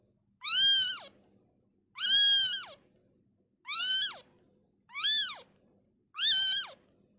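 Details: Newborn kitten removed from its mother cries in five even, loud meows, each swelling and dropping in pitch at the end, repeated about every one and a half seconds in a quiet setting.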